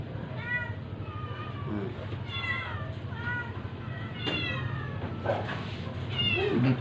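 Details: Weak stray domestic cat being force-fed during a rescue, giving repeated short harmonic meows in a run, some strained, while a woman speaks Filipino and music plays softly behind.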